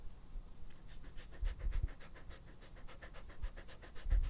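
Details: Close-up panting from Epo-chan, a pet dog, a steady run of quick huffing breaths about five or six per second, with a few heavier low bumps near the start and the end.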